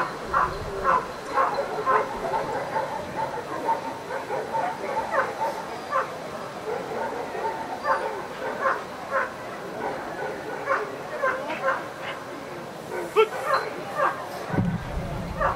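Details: Rapid, steady barking from the dog Ivar vom Falorie during protection work at the NIAK 2015 trial: short loud barks come roughly twice a second for the whole stretch, with a brief thump near the end.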